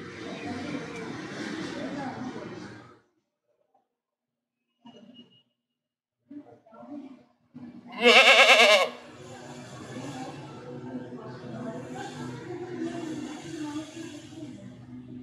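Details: Goat giving a single loud, quavering bleat midway, preceded by low murmuring and a few soft knocks, then followed by quieter trembling calls and background murmur.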